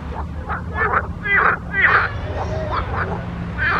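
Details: Frogs in a pond croaking: harsh, pulsed, duck-like croaks with a rasping texture, overlapping and repeated about twice per second, rising and falling in loudness over a steady low rumble.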